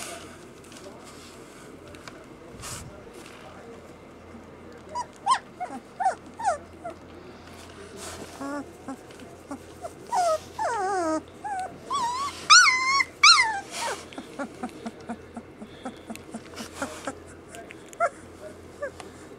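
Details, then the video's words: Samoyed puppies giving high, thin whines and short yelps with rising and falling pitch, sparse at first, then a dense run of overlapping squeals between about ten and fourteen seconds before tapering off into scattered yips over low background noise. "Samoyed puppies"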